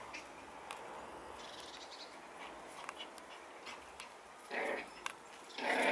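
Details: Eight-week-old Schipperke puppies: after a quiet, faintly rustling stretch, two short, loud, harmonic yelping whimpers break out near the end, the second the strongest, with scattered clicks and small knocks in the background.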